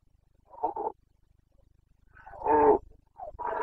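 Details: Red deer stag, Carpathian, roaring in the Bucovina breeding season of autumn 2022; a short hoarse bellow, a pause, then a louder drawn-out roar and a third starting at the end.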